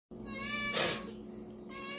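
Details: Male pet cat in a kitchen, already fed but excited by a can of whipped cream and calling as he does when he wants food; one long, drawn-out, harmonic-rich meow, cut midway by a sharp hiss burst.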